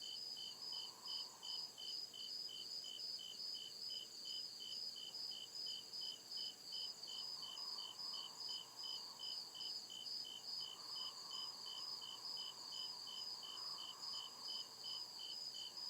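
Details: Crickets chirping at night in the deep woods, a steady train of short, high pulses about two to three per second over a constant high insect drone and a soft, wavering lower hum.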